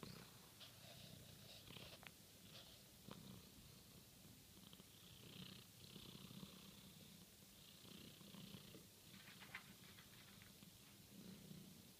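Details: Pet cat shaking its paw for treats, purring with a steady low rumble throughout, with faint rustles and soft clicks above.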